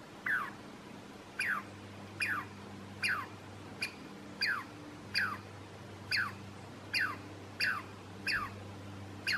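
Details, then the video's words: Douglas squirrel giving alarm calls along the trail to Stump Lake, Alice Lake Provincial Park: about ten sharp downward-sweeping chirps spaced under a second apart, steady and insistent, over faint low background hum. "Douglas Squirrel Alarm Call"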